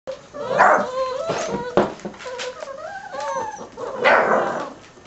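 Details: Six-week-old puppies from a litter of ten, American Staffordshire terrier crossed with Border collie/German shorthaired pointer, giving wavering whines and squeaky yelps that rise and fall, with some broad noisy bursts.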